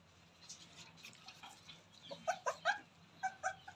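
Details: Newborn Rottweiler puppies playing: faint background rustling at first, then a run of short, high, squeaky yelps about every fifth of a second near the end, with a brief pause before a final pair.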